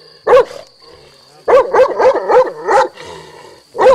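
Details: A Tornjak dog barks in short, harmonic bursts: a single bark, a pause, then a quick run of about five barks, a quieter gap and one final bark, with a faint steady tone in the background.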